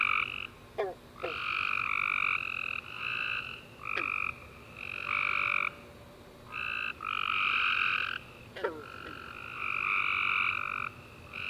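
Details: Tree frogs in a night chorus after a warm rainy summer day: overlapping bursts of rapid, buzzy trilled chirps lasting about half a second to two seconds each, with short gaps between them and a few sharp downward clicks.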